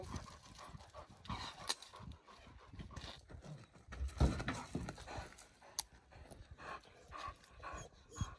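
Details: Irish Wolfhounds at home with their breeder as four-and-a-half-year-old Nell is reintroduced to her brother and sister, joining a pack of eleven; breathy, rapid panting with scuffling footfalls and occasional quiet human voices.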